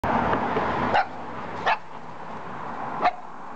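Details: Black mame shiba dog barking in the morning: three short sharp barks spaced about a second apart, after a burst of rumbling background noise at the start.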